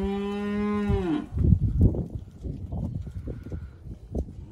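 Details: Hereford steers from a mob of 54, March/April drop: a single steady low moo lasting about one second, ending in a downward slur, followed by shuffling and rustling noises.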